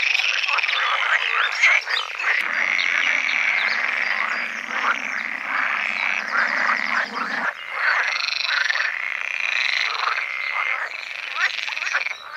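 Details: Pool frogs in a dense mating chorus of overlapping, rattling croaks on a sunny late-spring day by ditches and ponds in the Netherlands, with males in large groups calling to attract females.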